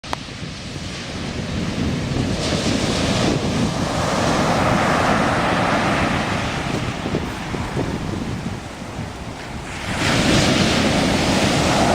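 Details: Rolling seaside surf and gusty wind noise on a beach walk, with no animal voices audible.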